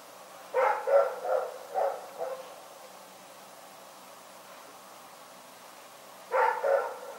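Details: Night barking from Rex, a dog: a burst of five or six barks in quick succession, then silence for several seconds before two more sharp barks start again.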